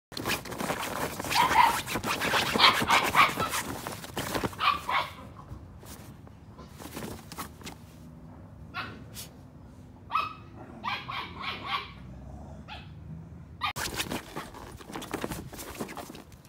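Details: Female Miniature Australian Cattle Dog puppy, one of a litter of eight born in February 2022, playing on a folding chair. Scattered short sharp yips and barks, with a stretch of loud rustling and knocking early on and quiet gaps between.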